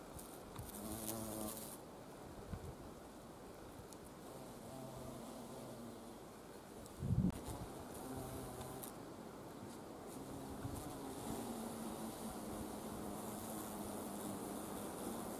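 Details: Carpenter bee foraging for nectar at wisteria flowers in spring; fainter, intermittent low hum of wings drifting in and out, a single sharp thump midway, steady background hiss.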